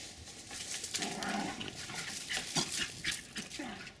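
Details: Two 4½-month-old Jack Russell Terriers, a male and a female, yip and growl in short, scrappy bursts while playing and chasing each other around a back yard in Lenexa, Kansas, on January 16, 2012.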